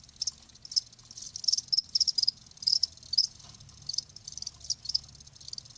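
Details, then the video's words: Cricket chirps used as a relaxing nature sound for tinnitus and sleep; short, bright high-pitched pulse clusters arrive in irregular groups, some doubled or tripled, with quiet gaps and faint low background hum. "귀뚜라미 1시간"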